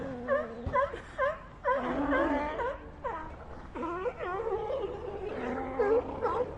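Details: Numerous sea lions in a colony produce bleating, wailing calls with dipping, hooked pitch, coming in clustered bursts about twice per second over a constant murmuring background of other animals.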